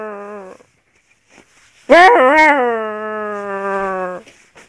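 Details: Alaskan Malamute puppy, half malamute and half wolf, howling: a brief steady tone cut short, then after a pause a rising yelp that settles into a long, sustained, richly harmonic howl of about two seconds.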